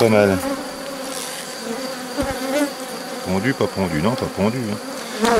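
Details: Bees circling close during work on a drone-laying hive, 3 May 2021, with nurse bees introduced from a testy neighbouring hive: steady hive hum punctuated by a burst of quick, wavering buzzes in the second half.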